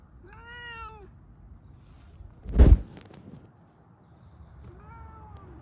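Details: Affectionate Siberian cat bumping against someone: two clear, tonal meows, one at the start and one at the end, separated by a sharp thump and near silence.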